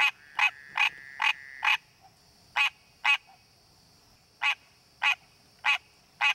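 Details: A wild green tree frog in its natural habitat gives a short, nasal, honking croak over and over, calling to attract a mate.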